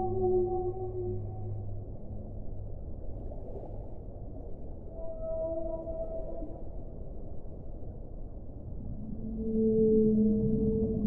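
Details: Low whale moans at the start give way to a short higher tonal call midway, then a swelling harmonic moan rising in loudness near the end, set against steady underwater hiss.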